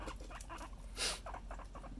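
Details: Domestic guinea pig making quiet, clipped chuttering notes at an uneven pace, with a brief loud rustling burst midway, then more short murmurs against a low constant hum.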